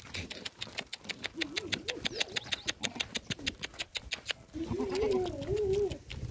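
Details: Sirohi billy goat at a farm: wavering, nasal bleats rise and fall midway and again near the end, over a steady rhythmic clicking of about three ticks per second.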